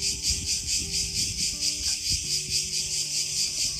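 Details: Cicadas singing in a pine park at Ermioni on the Peloponnese, Greece: a dense, shrill high buzzing that pulses steadily about twice a second, with faint low background sounds beneath.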